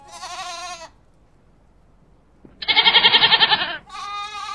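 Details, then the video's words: Goat herd bleating: a high trembling bleat, a silence, then a loud rough pulsing bleat followed straight away by another wavering harmonic call. "معزا عوارض"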